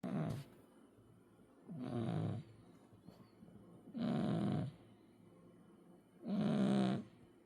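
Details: A 10-kilogram cat snoring, four broad raspy breaths roughly every two seconds, each a low rumbling rattle with a hissy upper edge, separated by quiet pauses.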